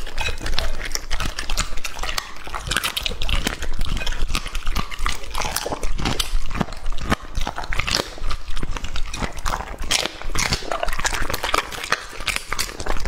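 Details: Male English-type Labrador Retriever Lucky, two and a half years old, devouring raw meat: continuous dense chomping and squelching with heavy low thuds, close and loud throughout.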